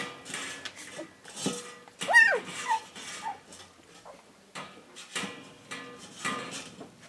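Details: Pups indoors give a brief high squealing whine that rises and falls sharply, set among repeated broadband clatter and knocks in a small room, with faint voices and other household sounds.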